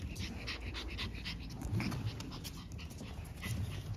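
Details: French Bulldog puppies, littermates born on 14 March, panting. Breathy, noisy huffs come in quick uneven bursts, with faint scuffling and soft thumps around them.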